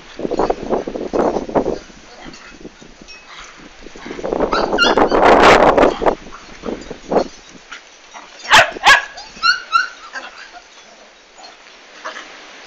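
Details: Komondor dog recorded during the big move on 11 March 2016; a loud rough burst around mid-clip, then a run of high, thin whimpering yelps with ringing overtones, mixed with people talking.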